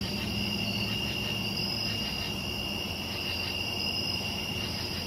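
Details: Crickets on a summer night: a continuous, shrill, high-pitched trilling chorus holds two steady tones throughout, over a low rumble of distant traffic or a passing train.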